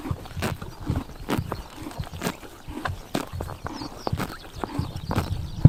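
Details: Horses chomping grass outdoors on a summer morning, Tuv province, Mongolia: steady crisp crunches and ripping bites about every half second, close and continuous throughout, ending with one sharp louder snap.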